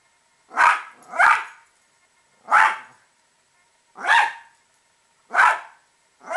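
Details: Domestic Italian Greyhound barking at squirrels: sharp, loud single and paired barks spaced about a second or more apart, fairly irregular rhythm, no other sounds.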